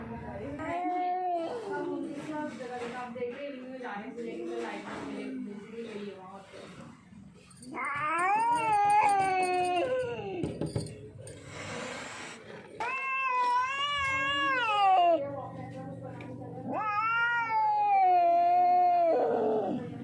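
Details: Lone hungry, thirsty, frightened street cat that wandered in from elsewhere. Long drawn-out wailing meows that rise and then fall, three of them in the second half, after a stretch of a person's Hindi speech mixed with softer cat calls.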